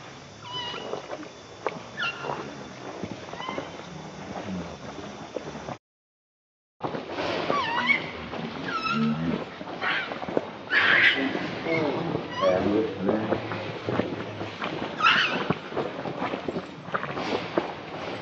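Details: Hungry baby monkey crying and begging its mother for milk: repeated shrill, wavering cries, some rising and falling, in bursts throughout, with a brief silent gap near the start and background rustling.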